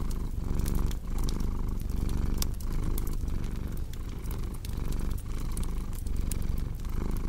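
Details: Continuous low cat purr, rising and falling with each breath roughly every three-quarters of a second, set against the bright irregular crackle of a burning fireplace.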